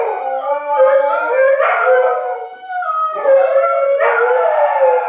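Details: Dogs howling at a tornado siren test: overlapping wailing voices swell, ease briefly near the middle, then rise again in wavering, sliding tones.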